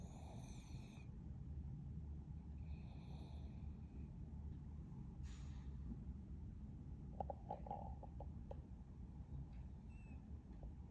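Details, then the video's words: Shih Tzu snoring while asleep, a steady low rumbling breath sound running throughout, with a few faint higher squeaky clicks near the end. "Shih tzu snoring"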